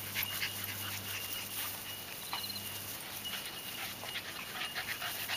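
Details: Seven-week-old puppies of the dog Lani playing with adult dogs; quick, breathy, noisy panting bursts repeat irregularly over a steady low electrical hum that fades partway through.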